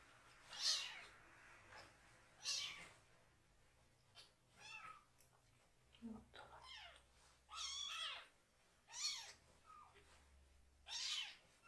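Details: Rescued foster kitten, one of three siblings still needing toilet help, crying loudly and angrily while its bottom is washed indoors; a run of high, arched meows comes about every one to two seconds, with a couple of fainter ones between.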